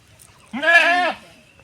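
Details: Domestic goat at a rural family homestead in a Bangladesh village, having wandered onto someone else's grass; one nasal, wavering bleat lasting about half a second, rich in overtones, against otherwise quiet surroundings.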